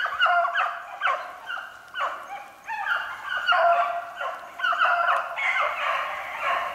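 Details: Beagles chasing a snowshoe hare, recorded 3/8/16: a pack chorus of drawn-out, harmonic bays, overlapping and pulsing in waves that swell and fade every second or so.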